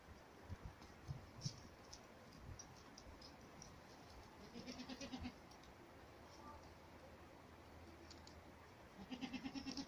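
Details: Goats on a farm in spring, walking, running and jumping. Two short quavering bleats with a pulsing tremolo, one near the middle and one at the very end, over steady low background noise and scattered faint clicks.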